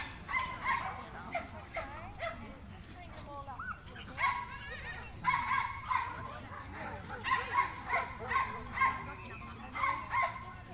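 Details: Jack Russell Terrier at the Jack Russell Terrier Club of NSW Speciality Show, Dogs NSW Showgrounds, Orchard Hills, 15 October 2015: bursts of sharp, ringing barks come in quick clusters, with voices and a steady low hum behind.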